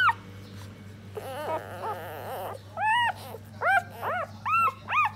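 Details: Nursing puppies, four of them, feeding on their mother's milk while she cleans them; high, arching whimpers rise and fall, sparse at first, then a steady run of squeaky yelps about every half second.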